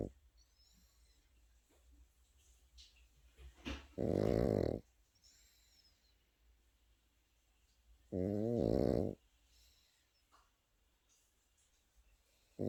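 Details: Pekingese puppy snoring while sleeping, two rattling snores roughly four seconds apart with a third starting at the end, faint rustling and soft background sounds between them.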